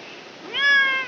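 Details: Domestic village cat crying while giving birth: a single rising, drawn-out meow that swells and holds steady, recorded indoors against soft background hiss.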